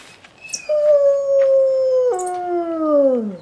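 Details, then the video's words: A wolf at a wildlife quarantine centre gives a long, smooth howl that holds steady, then steps down and slides lower, howling after people imitate a howl. "Как воют волки"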